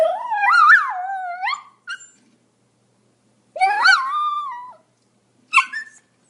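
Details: Pomeranian making long, wavering, whiny yelps that rise and fall in pitch, each lasting over a second, plus a couple of short squeaky yips in between quiet gaps.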